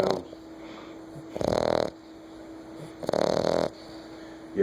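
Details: Sleeping nine-week-old American Bulldog puppy snoring indoors: two rasping, noisy snore bursts about half a second long, roughly a second and a half apart, over a steady low electrical hum.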